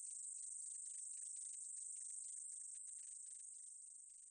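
A short-winged meadow katydid sings a thin, steady, very high-pitched buzz that hardly breaks.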